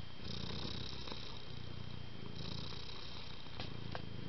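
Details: House cat purring softly and continuously, a low buzzing rumble with gentle breath pulses, a few small clicks and a faint steady high tone in the background.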